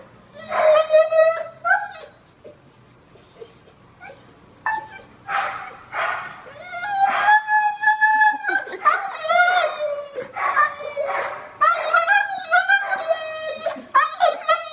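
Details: Husky named Steel protesting a bath with yodeling, whiny howls: bent, sliding tones broken into bursts, with some short yips and whimpers between longer wavering cries.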